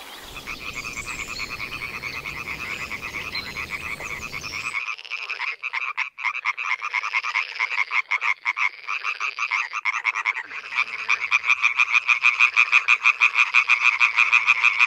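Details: Male European tree frogs calling loudly at night at a pond: rapid, regular nasal pulses about three per second, building into a dense, overlapping chorus, with a rustling, noisy stretch during the opening few seconds.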